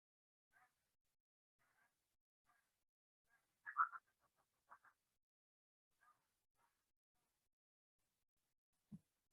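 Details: Fishing cat giving its duck-like quacking call: short nasal bursts spaced irregularly, with a louder clustered double burst near four seconds and softer single quacks before and after, set against near silence.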